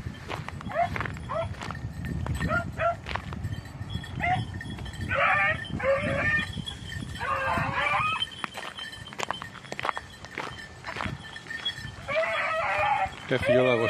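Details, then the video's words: Red-blue tick and lemon-white beagles on hare hunting practice on Crete, 2022: bursts of harmonic, yelping bays come in clusters of several cries with pauses between, over steady high ringing tones and rustling ground noise. "2022 hare practice redblue tick lemon white beagle crete Island"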